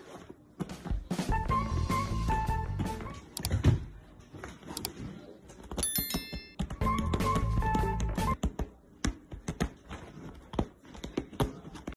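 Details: Bright melodic background music with chime-like tones, soft thumps and taps in a small room; no animal sound heard.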